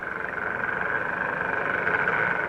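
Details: An underwater recording, made for US Navy research, of a chorus of croaker fish: a dense, rattling drone like a pneumatic drill.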